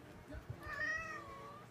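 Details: A Munchkin cat before surgery gives one soft, drawn-out meow that rises slightly, then gently falls and fades over about a second, against low rumbling background noise.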